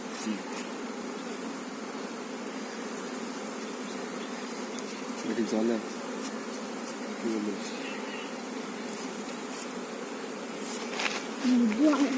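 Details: A continuous low drone of many honey bees fills a beekeeping hive. Brief human voices break in near the middle and end, and there are scattered ticks and knocks.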